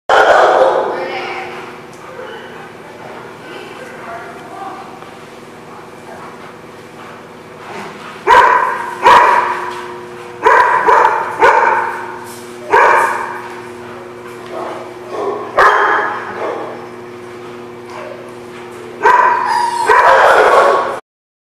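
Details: Dogs at The Barking Lot, recorded 29 April 2016, giving loud bursts of barking, several sharp barks in a row at intervals, with a steady low hum and lower background noise between the outbursts.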